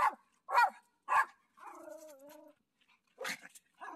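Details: Dog on a walking path greeting its dad, home from hospital in a disguise, gives three quick barks, then a wavering whine, then another bark.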